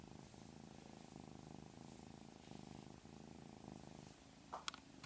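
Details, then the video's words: House cat purring in a steady low rumble, ending with a brief, noisy scratchy burst. "Funny kitty sound"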